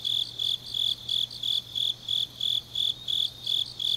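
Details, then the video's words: Grass insects singing on a deep autumn night in Changnyeong, South Gyeongsang, South Korea: high, shrill pulsed chirps repeated evenly, about two to three per second, over a faint steady low hum. "깊은밤 가을 풀벌레 소리"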